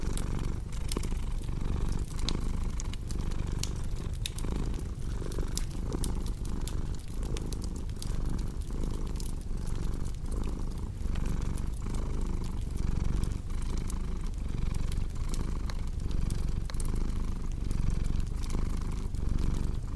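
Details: Domestic cat purring in a steady low rumble that swells and fades about every three-quarters of a second, mixed with the sharp pops and crackles of a fireplace.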